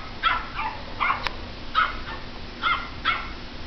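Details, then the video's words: Pomeranian barking at a computer, giving six short, bright yips in an uneven rhythm, each clipped and high-pitched, with a faint background hum and a brief click midway. "Pomeranian barking at a computer"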